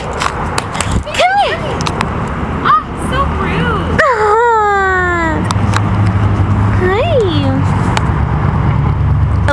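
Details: Prince, a tiny 9-week-old Maltipoo (Maltese poodle cross) puppy and the runt of his litter, gives several high, thin whimpers that rise and then slide downward, with a longer falling whine midway. A woman talks to him throughout, with outdoor background noise.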